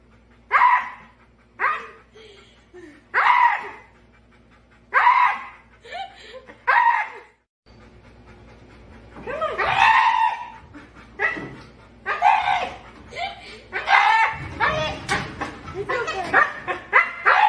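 A Siberian Husky gives a run of dramatic, wavering howls, whines and yodel-like grumbles.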